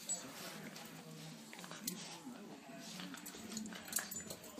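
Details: Rough and tumble play between Cairn Terriers Brodie, aged three, and Deacon, a 16-week-old puppy who arrived three days earlier; a quiet, continuous low growl with faint rustling of movement throughout.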